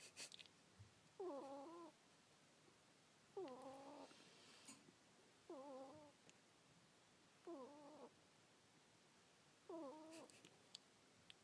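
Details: Sleeping house ferret Kuuta gives a steady run of five whistling snores, each a brief tonal squeak with a wobbly contour, repeating roughly every two seconds. Occasional light taps and rustles sound in the background.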